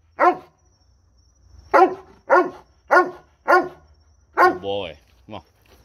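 A Doberman gives a run of deep, harsh barks, each short and forceful, with brief pauses between.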